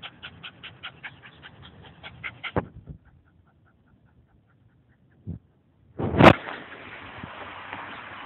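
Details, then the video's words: Lassie, a Scottish Terrier at play with her ball, makes fast repeated whimpering pants for about two and a half seconds, then falls quiet before a sharp thump and a loud, noisy burst. "Scottish Terrier Lassie Having A Ball"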